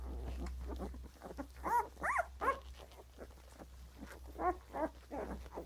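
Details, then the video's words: Puppy grunts coming in irregular clusters, several rising into brief squeaky, whine-like tones near the middle and end, over a low steady hum. "puppy grunts"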